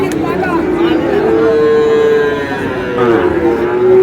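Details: Market scene in Natore, 8/8/26, with a Sahiwal breed bull calf: a drawn-out moo of nearly two seconds, level then falling, followed by a second rising moo, over crowd murmur and engine noise.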